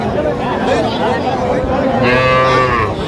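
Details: Young bulls and heifer calves for sale at a Madaripur cattle market in Bangladesh, 9 August 2025: one steady, tonal bellow swells in the second half amid loud, overlapping human talk and market bustle.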